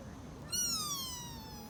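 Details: Young sika deer in Nara Park, Japan, giving a single drawn-out bleat that starts high and glides slowly downward for about a second, clear and tonal over a quiet background.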